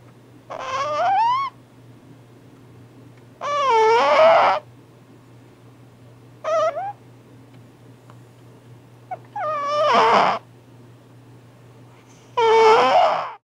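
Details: Loud snoring of a pet cat: squeaky, whistling nasal bursts about a second long, each sliding up and down in pitch, recurring roughly every three seconds over a steady low hum.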